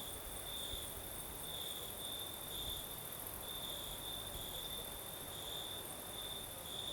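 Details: Crimean crickets at night under a gentle night breeze, giving an even, ringing high trill with regular louder pulses about twice per second, backed by a faint shrill insect layer and low wind rumble.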